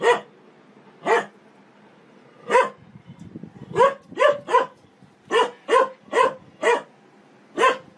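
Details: Domestic dog in a funny barking compilation, letting out about a dozen loud, clipped barks at uneven intervals, some in quick doubles and triples, over a quiet background.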